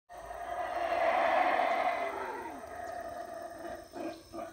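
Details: Howler monkeys roaring at the start of their usual morning routine in the Belize jungle at Howler Monkey Resort on a rainy morning; a loud, deep, rasping roar swells and holds for about two seconds, then fades, with faint grunts near the end.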